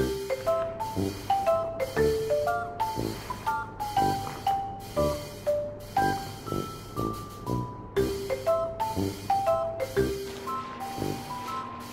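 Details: Bright marimba and glockenspiel music plays a bouncy repeating melody throughout, with no other sounds.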